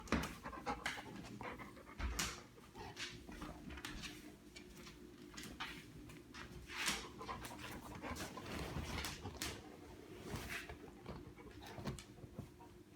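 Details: A yellow Labrador Retriever, excited by a person making fart sounds, pants in quick, breathy bursts with a few soft whimpers in a small room, then laughter.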